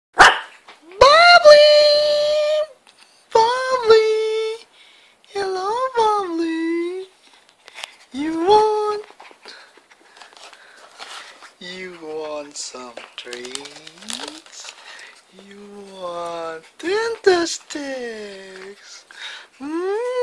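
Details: Shih Tzu puppy indoors begging for Dentastix dental treats, giving a series of long, clear, tonal whines and yelps that rise and fall in pitch, some sliding downward, with short pauses between, plus a few faint clicks.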